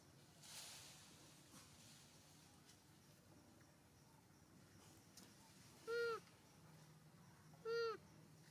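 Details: Little monkey Hulk cries as mother Arina comforts him and offers milk: two short, clear, tonal wails nearly two seconds apart, steady in pitch with a slight drop at the end, amid faint rustling background.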